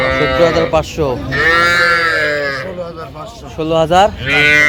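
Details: Young bulls and heifers at a livestock market on 27 January 2026: one long, drawn-out, tonal moo that holds steady, with shorter calls on either side, under busy crowd chatter and shouted bidding.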